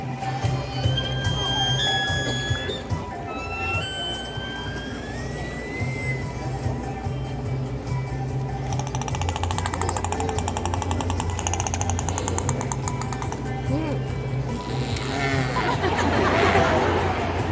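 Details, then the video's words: Killer whales give squealing calls with rising and falling tones over a steady musical background; each pod has its own dialect of calls. "Killer whales communicate with each other using all sorts of sounds. Let's listen."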